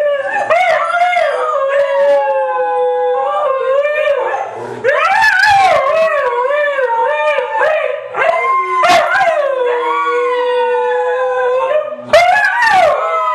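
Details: Three white huskies in a joint howling sing-along, layered howls that swoop up and down, broken by sharp yips and short barks between the long notes.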